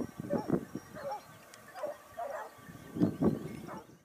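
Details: Basset Hounds of the Topsfield Lebrera pack hunting in Spain, 2015-16, their second year: separate short bays and barks in small clusters with quiet gaps between, a few voices rather than a full chorus.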